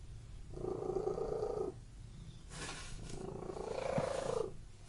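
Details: Cat purring indoors in a room: two low, rumbling buzzy purr phrases about a second long, separated by a brief burst of hissy broadband rustling.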